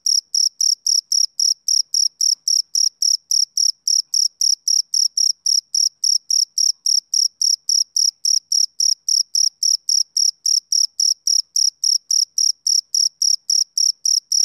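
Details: A male cricket chirps continuously on a summer evening, a long even train of high-pitched pulses at about four per second, clean and uninterrupted with no other noise.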